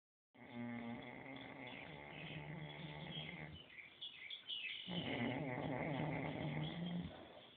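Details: Snoring cow: two long, deep rasping groans, each about three seconds, with a low droning tone and a buzzy rattling layer above, separated by a short quieter breathy gap.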